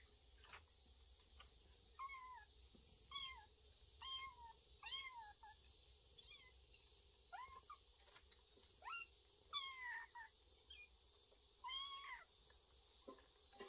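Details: Cat family sheltering in a woodpile, recorded 25 August 2022: about ten short, high, thin meows with falling or wavering pitch, scattered irregularly across the stretch, over a steady shrill insect drone.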